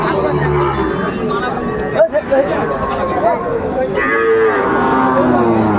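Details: Sahiwal breed bulls at a crowded cattle market, bought by a farmer from Brahmanbaria, Bangladesh, on 31 May 2024; low drawn-out moos rise over steady crowd chatter and men bargaining, with a brief sharp knock midway.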